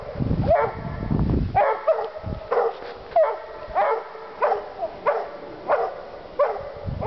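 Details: Pair of Walker Hounds treeing hard, giving loud bawled barks with a bright ringing tone, about one every half to three-quarter second, irregular and overlapping; low rumbling noise at the start.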